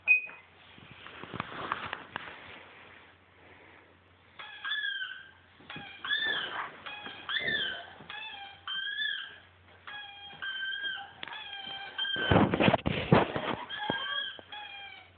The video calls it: Siberian Husky Howl